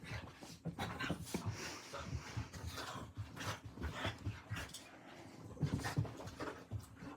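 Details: Two dogs, one seven and one five months old, playing at 11:40 at night: low rumbling growls and huffs in uneven bursts, with scuffling and breathy panting between them.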